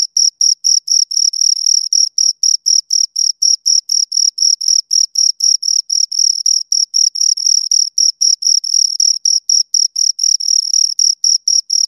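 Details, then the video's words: Two crickets chirping steadily: a clean high-pitched pulsed trill with a faint higher overtone, short chirps repeating about four times per second with little variation, no other sounds. "Two Crickets Chirp Sounds for Two Hours Right on Your Ears"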